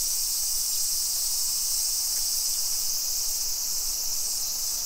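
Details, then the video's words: Cicadas in full summer song, suburban Nisshin, Aichi, Japan, 2 PM on 28 July 2021: loud, steady, high-pitched electric sizzle from many insects at once, dominating the scene with little else heard. "Summer Cicadas Sounds"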